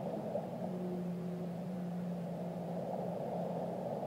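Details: Whale song: a low, steady moan with a faint higher overtone, held for about two and a half seconds over a constant hiss and low rumble of water.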